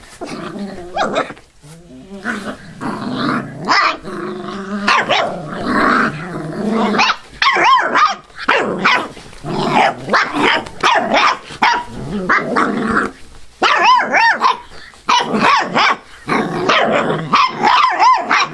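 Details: Five-week-old Labrador/hound mix rescue puppies in a noisy bout of play, with squeaky high barks, yelps and rough growls tumbling over one another, some rising whine-like notes, and scarcely a pause.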